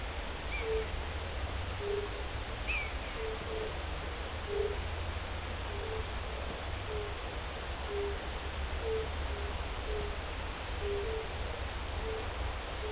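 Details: European fire-bellied toads (Bombina bombina), first heard of the season on 29 March 2014, give soft, mellow 'oop' notes, repeated roughly once a second over a low rumble.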